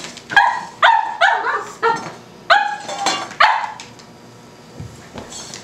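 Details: A Cavalier King Charles Spaniel puppy barking at a tuna can: a burst of five or six sharp, high, slightly rising barks in quick succession, then a fade into quiet room noise.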